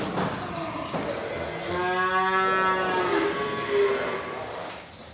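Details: Breeding cows kept for sale, one giving a drawn-out, nasal moo with a strong harmonic tone, swelling in the middle and fading out, with a second shorter lowing at the end; faint clatter in the background.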